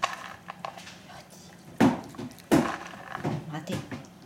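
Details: A male chocolate-and-white Siberian Husky, born 2010, gives short, rough, talking-like yowls and grumbles while begging for treats in an endless treat loop alongside a female husky; he can wait on command.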